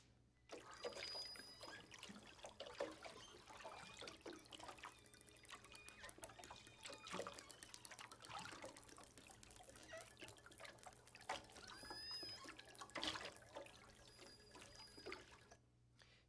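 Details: Southern Resident killer whale echolocation clicks, sharp rapid ticks in trains, over constant splashing surface noise, recorded from a bigger boat.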